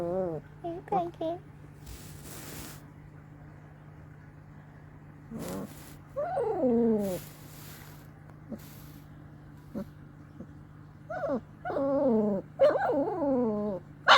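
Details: Long-coat German Shepherd Dog puppies, two weeks old, giving short squeaky grunts and whines in scattered bursts with quiet gaps between them, the calls falling in pitch; a steady low hum runs underneath throughout.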